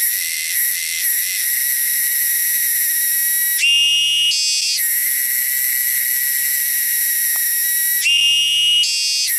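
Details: Loud, shrill cicadas native to the wilderness drone continuously at high pitch, the buzz shifting twice into a short, higher, warbling phase.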